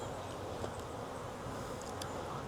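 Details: Wild honey bee swarm hanging from a tree branch, being collected into a 5-frame nuc box: a steady, dense, low humming drone of many wings that holds without pause, with a few faint clicks above.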